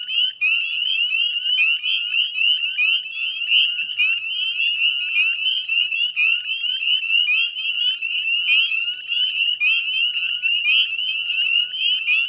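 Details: Northern spring peeper chorus in West Chezzetcook, Nova Scotia, at 9:08 p.m. on a May 2020 evening by the salt marsh; a constant shrill stream of brief upward-sliding peeps from many frogs, closely overlapping, nothing else prominent.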